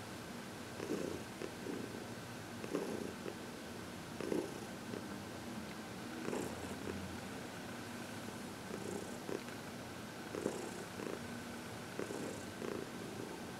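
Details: Heidi, a happy 14-year-old senior cat adopted from the Humane Society of New York City, purring during massage and reiki on February 22, 2021; steady low rumbling purr with soft rhythmic pulses in a quiet indoor room.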